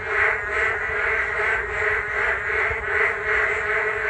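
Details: Frogs chorusing beside a walking path along the Geum River on a rainy day: a dense, continuous wall of croaking that swells and ebbs in pulses roughly two or three times a second, with low rumble underneath.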